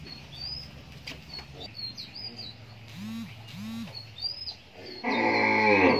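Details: Cattle on a grandfather's farm of five cows, where one calf suckles from three cows: two short arched lowing calls in quick succession midway, high bird chirps throughout, then a loud rushing noise at the end.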